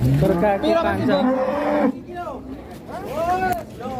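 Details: Cattle on an Indonesian farm low and moo in a drawn-out, wavering call of nearly two seconds, then human voices take over in the background.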